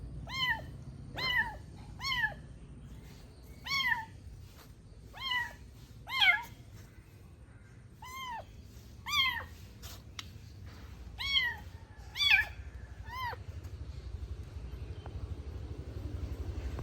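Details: Small kitten at play indoors, loudly calling: a long series of high, sharp, arched mews, each under half a second, repeated every one to two seconds, growing louder toward the end, with faint background hum.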